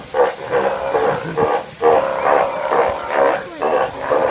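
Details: Steller sea lions calling in a series of loud, hoarse, nasal bursts with a tonal core, several overlapping voices repeating roughly every half second, suggesting a group.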